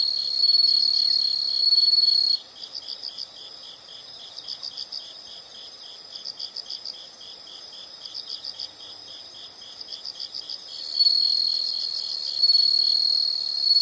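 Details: Nature scene of insects: a sustained high trill opens. Regular groups of soft pulsed chirps follow, repeating roughly every one and a half seconds, and the loud steady trill returns near the end.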